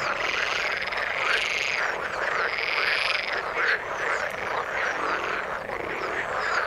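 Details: Frog chorus in water, steady and dense, with buzzy pulsed croaks and repeated arched notes blending into an unbroken, even background of many overlapping callers.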